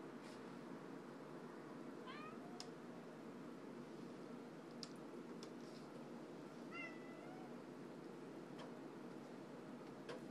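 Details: Pet male domestic cat lying on his back, meowing repeatedly: two faint, short meows around two and seven seconds, each with a quick rising-then-falling tone, over a low steady background with a few sharp clicks.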